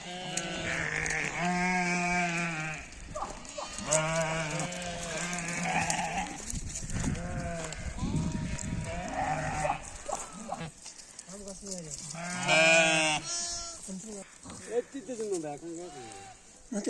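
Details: Sheep in a mountain village in Nepal, giving many overlapping wavering bleats across the clip, some rising and falling, with noisy rustling and faint voices between calls.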